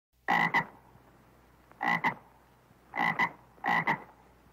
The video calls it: 두꺼비 울음소리(Crying toad)